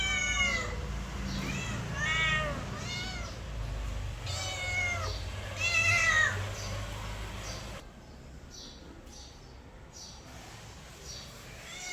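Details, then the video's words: Mother cat with kittens: a run of high, arching meows, several per second in places, each rising then falling, repeated through the first eight seconds over a low steady hum, then fainter calls near the end. "Mother cat with kitte behavior sound effect"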